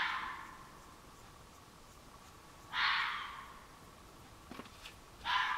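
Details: A red fox calling at night from woods behind a flower garden on July 22, 2015: very loud, harsh, raspy calls repeated every two to three seconds.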